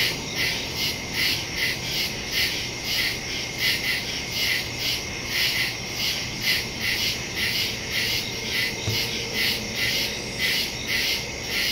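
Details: Night chorus of woodland crickets captured September 2, 2023 with a phone and Shure MV88+ stereo mic: rapid, evenly pulsed high chirps overlapping into a shimmering wall of sound, with a faint low background rumble.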